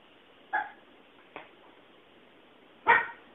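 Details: Charlie, a Cavalier King Charles Spaniel puppy intimidated by a Rock Band drum set, gives two short sharp barks about two seconds apart with a faint yip between, indoors over low background hiss.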